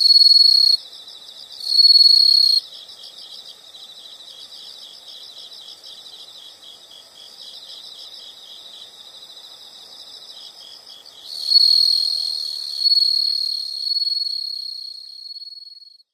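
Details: Insect chorus from a nature sound recording: loud sustained high trills come in bursts at the start and again near the end, with a quieter steady pulsed chirping running beneath throughout.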